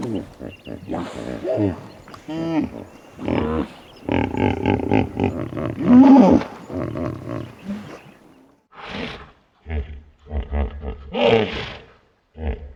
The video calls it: What does a Hippo sound like? (Hippopotamus) - Animal Sounds